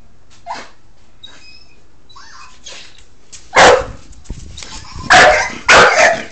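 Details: A pet Bull Terrier, playing with a hamster, gives a few loud, harsh barks, spaced about a second apart, after quieter soft sounds.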